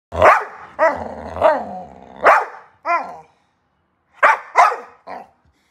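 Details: Dog giving a burst of sharp, loud barks, some with a whining, rising-falling tone, in two groups separated by a short pause; about eight barks in all.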